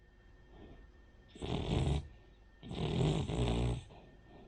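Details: Sleeping Cavalier King Charles Spaniel Rin snores like a pug or bulldog; two rasping, low, buzzy snores, the second longer and split in two pulses, separated by quiet breathing.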